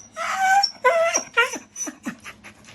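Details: Pet Shiba–Beagle mix dog indoors, eager about something atop the fridge, giving three or four clear whines in quick succession, each bending downward in pitch, the last ones softer and shorter, with a faint steady hum behind.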